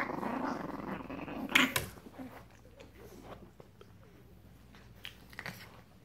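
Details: Seven-week-old Frenchton puppies (87.5% French Bulldog, 12.5% Boston Terrier) indoors: a low, rumbling growl, then soft snuffles and small clicks.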